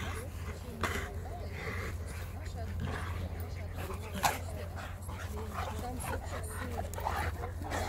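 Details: Cane Corso and American Staffordshire Terrier playing together; short whines and yelps with rough growly bursts scattered through, over a steady low hum, with people speaking Russian close by.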